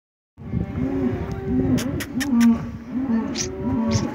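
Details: Angus and Hereford-base cattle at a livestock auction, lowing in overlapping low moos, several callers sounding at once with sharp clicks and knocks from the pens.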